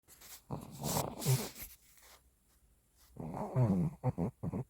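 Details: Shih Tzu snoring while asleep indoors: low rumbling snorts in two bursts, a long rough one early and a quicker run of short snores near the end, with a quiet gap between.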